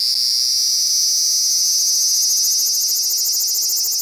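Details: Unbroken shrill 'giiii' drone from a large brown cicada sitting still, a loud high sizzling buzz with a fast tremolo. The high-pitched sound distorts on the compact digital camera used to record it.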